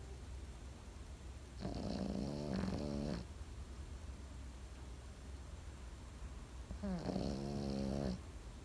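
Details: Sleeping Pekingese dog snoring in a slow rhythm: two low, buzzy, vibrating snores of about one and a half seconds each, roughly five seconds apart, separated by quiet breathing and faint background hum.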